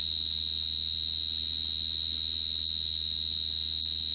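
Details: A cricket sings a constant piercing trill at an unchanging pitch, with a clear higher overtone and a faint low rumble in the background.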